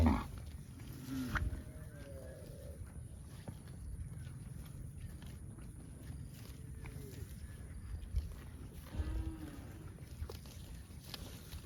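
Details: Baby cow calling with a few short, faint moos rising and falling around the low-mid range, spaced several seconds apart over a steady low rumble of background noise.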